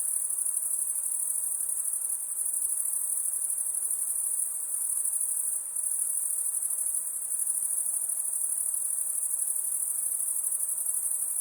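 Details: Night chorus of crickets, an unbroken high shrill trilling from many callers blended together, steady in loudness with a brief dip midway.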